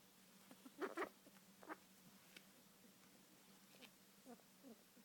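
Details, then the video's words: Pet rat named Uncle, kept for about a week, making odd noises that worry its owner, who plans a vet check for possible illness. Several short raspy bursts come in a cluster early on, then fainter scattered clicks over a steady low hum. "My rat, Uncle, makes weird sounds"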